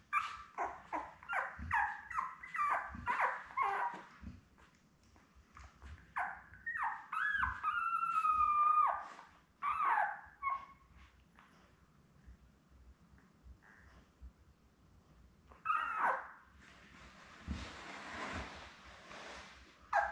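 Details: Newborn Labrador Retriever puppies, seven littermates born May 24, 2021, with their mother Belle, on a puppy cam on June 4: quick strings of high descending whimpers, a drawn-out whistled whine near eight seconds, a quiet gap, then rustling.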